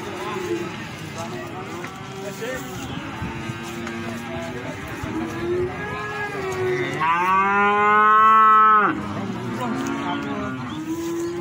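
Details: Feeder cattle at the Plaosan market in Magetan, Indonesia: several low moos overlap in the opening seconds, then one loud, drawn-out bellow swells and falls before quieter lowing resumes. Market chatter sits in the background.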